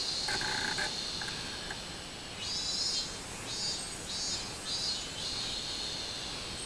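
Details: Summer song of a minmin cicada, 24 July 2016; after a few softer lower chirps at the start, a high pulsing buzz begins and beats steadily about twice a second until the end.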